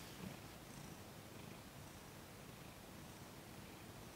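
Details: Domestic cat Thomas purring during his first massage, December 6, 2021, eighteen days into his time in a new home; a steady, quiet low rumble continues throughout with soft room hiss.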